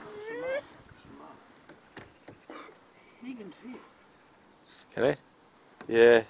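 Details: Luna, a dog in a small fishing boat on Lough Neagh, upset by dogs barking in the distance, gives a short rising whining howl at the start and two more strained cries near the end, with a person talking in between.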